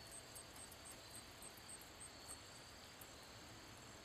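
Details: Handsome meadow katydid, a long-horned grasshopper, singing by rubbing its wings: rapid high ticks repeating about four times a second, with short buzzy bursts above them, over steady broadband hiss.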